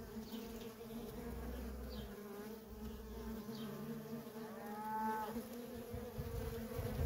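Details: Busy worker honey bees at a feral colony give a continuous low droning buzz. A short cow-like moo rises and falls in the background around the fifth second.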